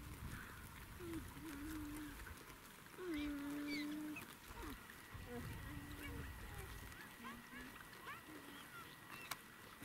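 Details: Young geladas playing in the Simien Mountains, Ethiopia, giving short, low, tonal calls, some level and some gliding, with several brief high chirps and a steady high whine in the background.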